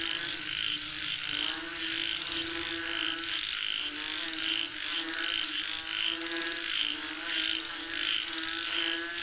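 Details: Frogs calling for rain in a busy chorus, harmonic croaks repeated irregularly around eighty-five times a minute, with an unbroken high-pitched drone in the background.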